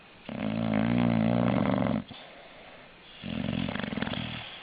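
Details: Dog snoring indoors, from a funny dogs snoring compilation: two long, rasping, droning snores with a low buzzing tone, the first lasting about two seconds, then a quiet pause before a second, rougher snore.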